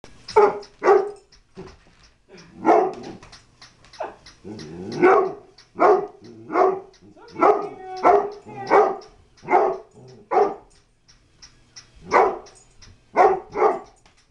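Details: A pet dog barking at a new flipping toy dog it takes for a real dog, after sniffing it and deciding it hates it; sharp barks come in quick bursts, about twenty across the clip, with short gaps between.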